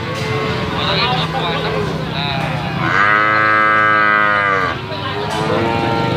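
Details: Limousin calves for sale: a single clear, wavering moo lasting under two seconds stands out from a busy background of murmured voices and distant animal calls.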